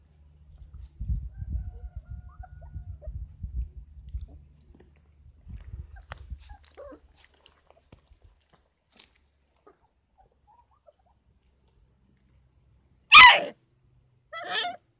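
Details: Kangal puppies aged 33 days at a Kangal breeding farm. Low shuffling and rumbling fades to near quiet, then two short, loud, harsh yelps break out near the end, the second softer.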